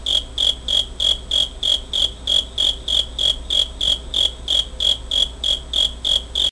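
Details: Cricket song from 27 August 2011, Pentax Optio S5z recording: around twenty sharp, tinkling chirps in a regular pulse, each short and high, ending abruptly, with a dull hum underneath.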